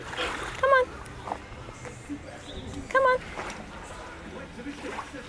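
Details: Sojou, a seven-month-old female Alaskan Malamute puppy, is taken into a lake to cool off on a hot day at the St Anne De Bellevue car show, nervous from the crowds. Two short, high whines come about two seconds apart, with splashing and a coaxing human voice.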